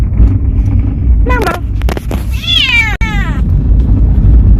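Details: Talkative cat on its first trip out sightseeing, giving a short rising meow then a longer wavering, falling meow over a steady low rumble of travel noise.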